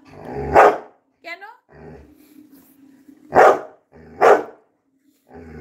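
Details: Labrador Retriever Coco barking: three short, loud, explosive barks spaced irregularly over about five seconds, with a brief wavering whine-like sweep between the first two and a person talking in Bengali.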